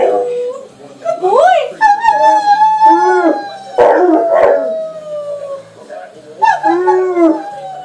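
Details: A young male American Akita, 15 months old, howls while playing and nibbling with a woman. Drawn-out tonal wails bend up and down, broken by brief rough yelps, then a final arching howl.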